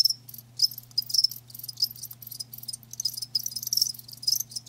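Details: Live crickets giving bright, high trilling chirps in uneven bursts, louder swells near the start and end, over a faint low hum.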